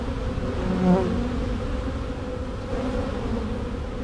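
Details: Honey bee swarm shaken from a tree and dumped on a board, bees marching into the box; continuous low droning buzz with layered harmonic bands, steady in loudness.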